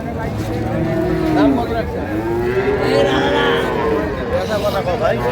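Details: Dairy cows and calves at Ambari market, Dinajpur, Bangladesh, give overlapping arched moos, one after another, against crowd and vehicle noise.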